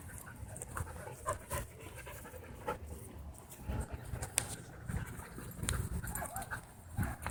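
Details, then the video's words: Dogs at a dog park make low, rough growls mixed with panting breaths and odd noises, in uneven bursts over a continuous low rumble. "Vicious Death Growls And Odd Noises Fill Dog Park"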